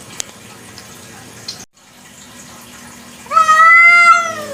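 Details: Indonesian kucing kampung, a village cat, heard at night: after nearly three seconds of faint hiss and a brief dropout, one loud harmonic meow rises, holds, then falls away over about a second.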